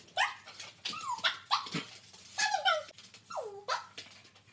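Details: Border Collies Jillie and Levi working through tricks; sharp barks and whiny yelps, several dropping steeply in pitch, the last a long falling whine.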